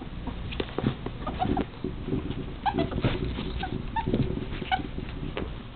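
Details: Two male pet ferrets adopted from a shelter in a serious wrestling bout, one squeaking often even when not held. Short, high, thin squeaks recur every half second to a second over continuous scuffling and thumping.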